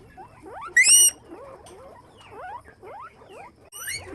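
Several guinea pigs squeak together in quick, upward-sliding chirps that overlap throughout. Two louder, piercing squeaks with a harsh, ringing tone stand out above the rest.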